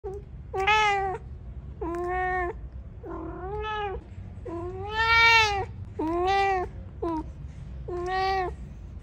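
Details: Domestic cat meowing to ask for food indoors: seven loud, harmonic meows about a second apart, each rising then falling, some drawn out and pleading, with a low steady hum underneath.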